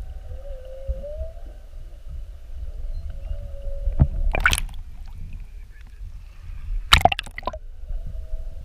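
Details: Underwater sound from a mugging, whales circling and spy-hopping by a boat during a Thursday 7:30 whale watch, February 2019: steady tonal moans broken by two sharp, broadband splash or bubble bursts, low water noise beneath.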